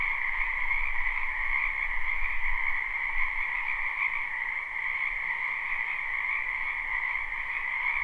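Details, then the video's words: Live recording of a frog chorus in a springtime wetland behind a home: steady, dense high-pitched trilling layered over a lower croaking band, with a noticeable low rumble in the background. "Ambient Noise for Sleep Frogs"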